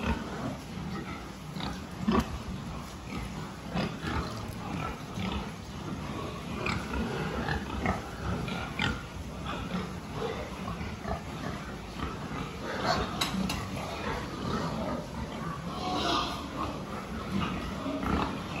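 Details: Farm pigs recorded during a health check on 26 October 2023. Many animals give rough grunts and brief squeals in quick irregular succession, with sharp clanks near the thirteen-second mark and a constant low hum underneath.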